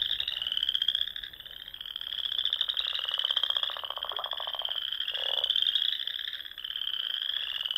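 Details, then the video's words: Frogs calling together at dusk in spring in the Nebraska Sandhills, a shimmering high trill that waxes and wanes in loudness, with a lower grating rattle midway through. "RELAXING SOUNDS OF FROGS"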